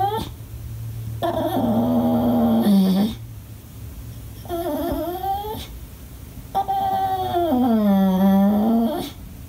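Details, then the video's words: Pet English Bulldog crying and complaining when nobody plays with him: three drawn-out whines, each starting higher and sagging into a low groaning tone, separated by short quiet gaps in a small room. "My English Bulldog that sounds like an Ewok when he throws a fit!!!"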